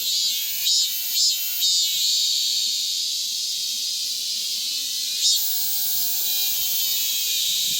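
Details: Cicadas calling hard once the rainy season is over, a continuous shrill electric buzz with short tonal ringing pulses early on and again midway, the buzzing steady underneath the whole time.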